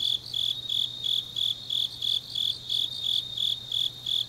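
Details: Autumn grass insects calling late at night in Changnyeong, Gyeongnam, Korea. Bright, high-pitched pulses repeat evenly, roughly three per second, while a soft steady hum sits underneath.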